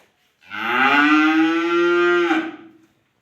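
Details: A single sustained cow moo from a dairy farm in Bogura, steady and strongly harmonic for about two seconds, holding level pitch before dropping off abruptly at the end.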